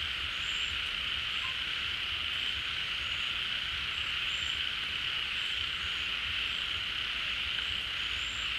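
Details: A crowd of frogs gathered at a pond in the rainy season, when water comes back. They call in a steady, hissing wall of sound, and brief thin high notes pop up now and then over the drone.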